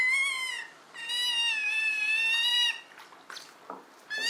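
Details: Argentine giant otter voicing several long, harmonic, mewing whines, each held steady then dipping slightly, with faint scuffles between calls and another whine starting at the end.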